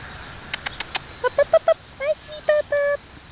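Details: Black German Shepherd puppies of Czech working lines, three and a half weeks old, taken outside in New York to explore a new environment; a few sharp clicks, then short high whimpers and a longer level whine, all close.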